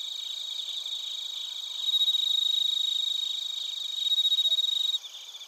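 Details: Crickets and bell crickets in Narita, Chiba, Japan, TASCAM Portacapture X8 recording: a close, loud ringing tone swells twice over a background of fast high pulsed chirps, dropping away sharply near the end.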